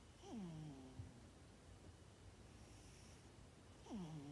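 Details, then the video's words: Cat asleep and snoring indoors, two breathy snores opening and closing the stretch, each starting with a downward-sliding low tone, a quiet pause between them. "Snoring cat"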